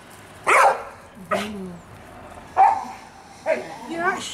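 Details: Fudge, a pet Staffordshire Bull Terrier, playing and enjoying the sun on Mother's Day, 26 March 2017; four short harmonic barks and yelps spaced about a second apart, with a person talking nearby.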